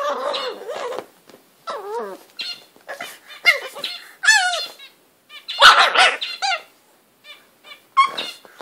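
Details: English bulldog Butters, a house pet, being a bully to his bed: rapid high, wavering yips and whiny squeals rising and falling in pitch, broken by brief pauses, with a loud chomping scuffle near the middle.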